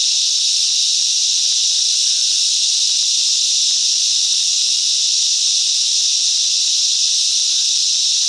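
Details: Cicadas in the bush mangroves of Coffs Harbour, Australia, singing in unison; a loud, steady, high-pitched sizzling drone runs unchanged from start to finish.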